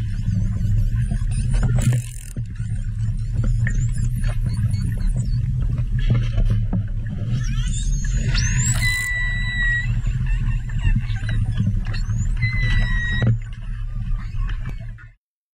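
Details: A playful short-finned pilot whale approaching a stopped research boat gives a few clear, tonal whistles, some sliding upward, over a deep engine-like rumble.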